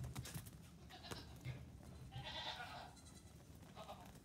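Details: Young Nigerian Dwarf goat kids, three days to two weeks old, romping on a farm in the morning away from their grain-eating mothers; a short nasal bleat rises midway, then a fainter one follows amid scuffling and low hum.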